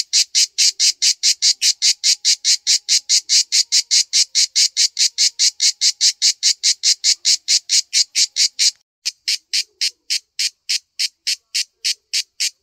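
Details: A cicada on a backyard tree, hard to spot because its colour matches the bark, gives a loud, dry, rasping song of evenly spaced pulses about four per second, with a short break near nine seconds before the pulses resume slightly slower.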